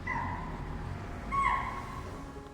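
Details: Chital (spotted deer) give sharp, shrill alarm barks at a nearby female tiger in Kanha National Park, India, in February 2024.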